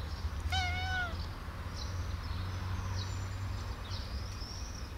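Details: Female pet cat named Sweet Bun meowing at length as her owner fails to grasp what she wants; a single clear, slightly falling meow near the start, then quiet low hum with faint, high chirpy sounds.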